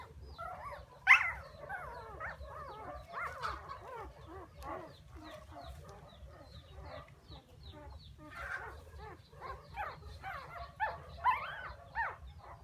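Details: Puppies crying for their absent mother, giving a jumble of high yelps and quavering whines, one sharp loud squeal early on, then a steady stream of short rising and falling cries from several pups.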